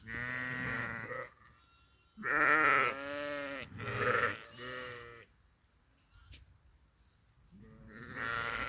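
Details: Grazing sheep: a run of three or four quavering bleats in quick succession, a quiet pause broken by a single click, then another drawn-out bleat at the end.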